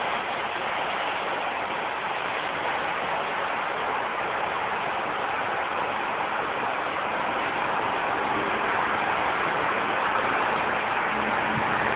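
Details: Steady, dense broadband rumble like passing traffic or an engine fills the whole recording, with no animal voice heard.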